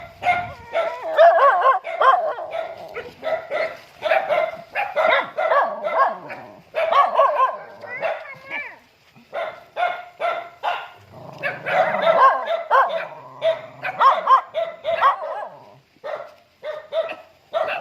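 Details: A dog welcoming its owner home, giving a long run of short, sharp yips and barks roughly twice a second, with brief whining slides between bursts and faint human voices mixed in.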